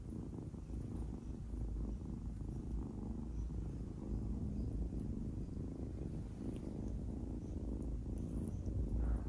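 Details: Adopted kitten purring while playing with and biting fingers; a steady low rumbling purr continues throughout, with faint soft rustling.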